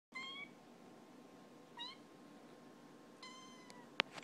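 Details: A kitten indoors giving three short, thin, high-pitched meows, each a brief bright cry that rises slightly. They come about every one and a half seconds and are followed by a sharp click near the end. The room is otherwise quiet.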